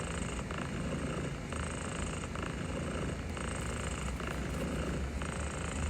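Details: Barbara, a cat described as overwhelmed, purrs while being gently petted: a steady, rumbling, low purr in even pulses, swelling and easing roughly every second and a half, with a faint hiss throughout.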